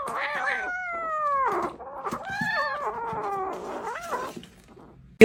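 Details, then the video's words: Crying kitten meowing: long drawn-out tonal cries, the first sliding slowly downward, then a wavering rising-and-falling meow and a short bent cry. A brief sharp noise comes at the very end. "kitten meowing crying"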